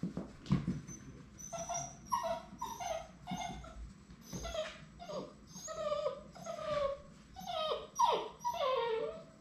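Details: Labrador Retriever puppies on their last day before going home, kept together indoors; steady series of short, high yelping whimpers roughly every half second, pitch dipping on each, with a soft background hum and occasional thumps.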